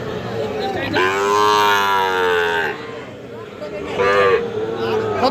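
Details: Sahiwal cattle for sale at Aftabganj cattle market in Bangladesh: one loud sustained moo of about two seconds, then a shorter call, set against market voices.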